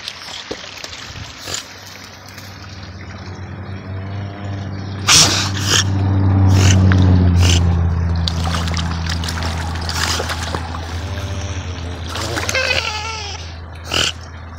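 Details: North American river otter making funny noises: short squeaky, wavering harmonic calls that come in scattered bursts, plus a higher quavering squeal near the end, over a steady low mechanical hum and some watery clicks.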